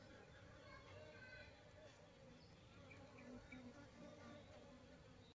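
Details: Asiatic honey bee colony without a queen, being given comb containing a developing queen: continuous low, rough hum of massed bees, slightly swelling midway, with faint talking in the background before it cuts off.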